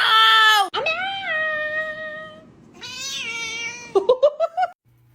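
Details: Pet cat meowing loudly indoors while a woman shouts: long drawn-out wavering meows, the first high and strained, a second falling in pitch, then a quick run of five short rising chirpy mews.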